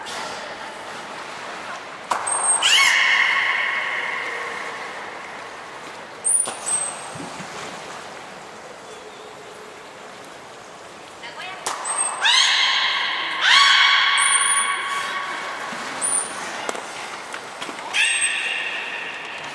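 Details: Belugas Hodoi, Gray and Mirai during a training session at Port of Nagoya Public Aquarium, 1 December 2019: harmonic, nasal drawn-out calls with a drooping start, in bursts at intervals, each preceded by short high whistle pips amid hall noise.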